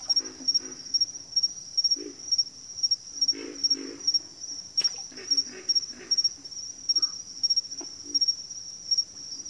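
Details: A backwater frog chorus of repeated low, gravelly croaks in irregular bursts. One sharp click stands out, and a constant high tone runs underneath.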